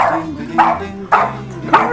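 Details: Boston Terrier reacting with aversion to orange juice being offered: three short, sharp barks spaced about half a second apart, with a person speaking softly in the background.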